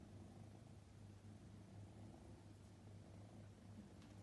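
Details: Scottish Fold kitten Luca, a prick-eared male born 8 May 2021, purring indoors on his second day in a new home; a steady low rumbling purr with soft rhythmic pulses and no other clear sounds.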